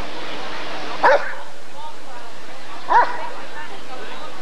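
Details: Two single barks about two seconds apart from a Rottweiler at the 1994 ADRK Körung breed survey, over a quiet background of low chatter.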